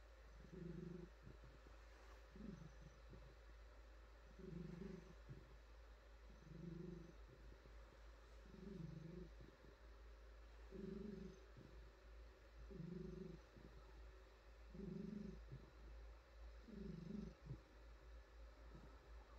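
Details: Female domestic cat purring while being petted and pampered, stretching: low rumbling purr in steady pulses about every two seconds, each swelling and fading with breath, soft stroking and fur rustles between, no talking.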